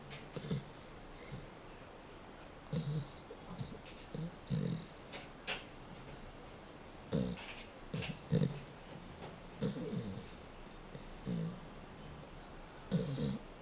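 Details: Sleeping dachshund snoring indoors: low, rough snorts repeated roughly every one to one and a half seconds, each a short throaty burst with a breathy hiss above, over a quiet room hum.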